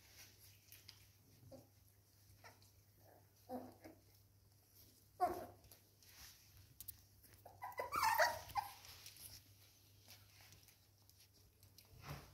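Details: Seven-week-old Norfolk Terrier puppies playing with toys indoors: scattered soft whimpers and short yips, then a louder burst of high, whining yelps around the middle, with faint scuffling and toy noises between.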